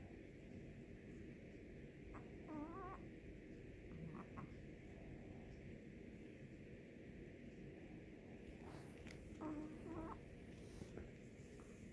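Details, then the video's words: Chihuahua asleep and snoring, low and muffled, each breath bringing a thin wobbling whistle, heard a few times across the stretch against steady background hiss. "my baby dogga snoring"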